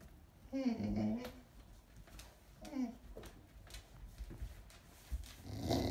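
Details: Dog with a toy held in its mouth giving two brief muffled, moaning grumbles, the first longer and wavering, the second short, followed by quiet rustling and faint handling noise.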